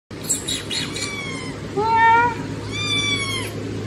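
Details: Kittens meowing loudly, asking for food: several high, harmonic, arching meows around 0.3, 1.0, 2.0 and 3.0 seconds, the later ones longer and drawn out, over a steady low hum.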